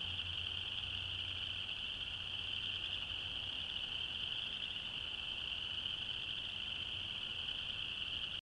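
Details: A massed chorus of chorus frogs in Alabama on a January night, continuous shrill pulsing trills blending into one unbroken high band, a faint low rumble below.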